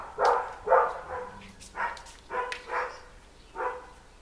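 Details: Collie puppies from an eleven-week-old litter (litter D) at Collies vom Flörsbachtal, indoors; short sharp puppy barks come in quick bursts of about six, with a person's voice faintly in the background.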